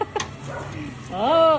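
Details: A high, drawn-out whine rising then leveling off comes from a Belgian Malinois, one of the pair Luna and Dax, following brief voices and a laugh.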